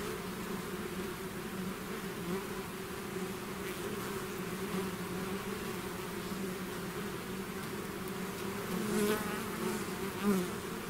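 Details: A bee swarm that has left its hive fills the air with an even, layered droning hum; near the end a few louder buzzes pass close by.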